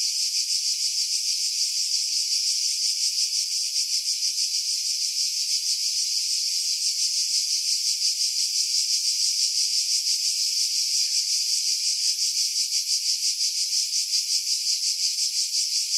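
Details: Cicadas singing in pine trees about 50 m above the sea at Pefkos Bay, Skiros Island, Greece, in July 2018, recorded on a Sony RX3 with external mic, wind filtered out: a steady, shrill high buzz with a rapid pulsing throb, about three beats per second.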